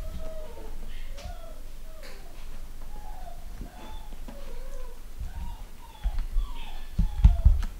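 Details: Litter of pedigree Long Haired Miniature Dachshund puppies, home bred, with boys and girls. Many short, thin squeaky whines, each bending up and then down, overlapping almost continuously, with soft low thumps and handling knocks toward the end.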